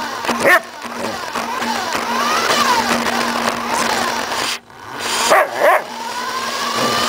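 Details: Suka, a pet Samoyed, gives a single bark, then a quick double bark several seconds later, while chasing a remote-controlled car; the toy's high electric motor whine hums throughout.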